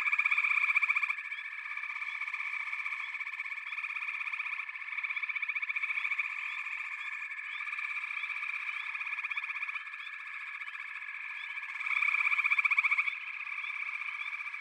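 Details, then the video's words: Frogs calling together in a steady, unbroken chorus of rapid pulsed trills, with louder surges at the start and around the twelfth second. "Backwater Chorus, & Frog Chorus"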